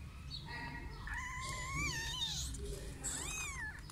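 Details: Kittens mewing: a long, tonal mew that rises and then falls, followed by a shorter arched mew near the end, both clear and harmonic over a low, steady background rumble.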